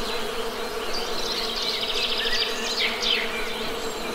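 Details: Honey bees humming in a steady, low drone with layered overtones, while small birds chirp and trill in quick bursts above the buzz throughout.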